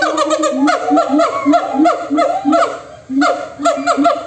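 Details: Monkey calls trading back and forth, very noisy: a steady train of short falling harmonic calls, roughly one every half second, layered over lower accented notes, with a short pause near the end.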